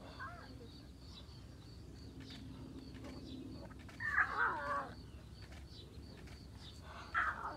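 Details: Lioness Lola at Taigan talking to her little cubs: two short, moaning calls with rich harmonics, the first near the middle lasting under a second, the second brief near the end, over quiet background hum.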